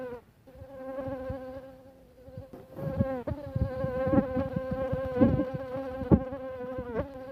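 A mosquito's steady, nasal wing buzz holds one low droning pitch with rich overtones.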